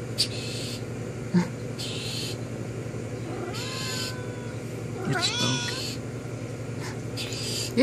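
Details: Pet cat chatting through a window with a friend outside, giving two wavering, slightly descending meows in the middle of the clip. A person's voice and a low household hum run underneath.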